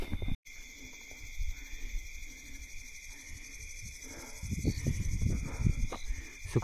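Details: Crickets at night during a rest stop on the Harishchandragad trek, otherwise completely quiet: a steady, unbroken high-pitched trill in two even tones holds throughout, joined near the end by low rumbling and shuffling noise from people moving.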